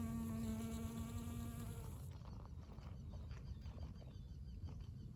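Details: A pollen-covered honey bee flying over a blooming dandelion in spring gives a steady, low wing buzz for two seconds, then rumbling background noise takes over.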